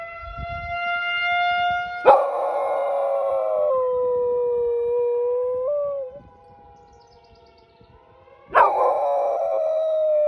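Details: Pet dog howling at a monthly tornado siren test sounding from just down the street: two loud, rough howl onsets about six seconds apart, each settling into long, wavering held tones that drop in steps, over the steady harmonic drone of the siren.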